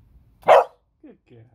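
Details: Female beagle barks once, short and forceful, in answer to the command 'speak'. Brief quiet human speech follows the bark.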